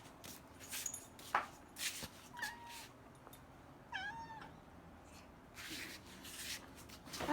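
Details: Cats at feeding time indoors in a home sanctuary of five: brief, bent meows, the clearest a short wavering cry in the middle, among bowl clatter, rustling and a person asking to be let past.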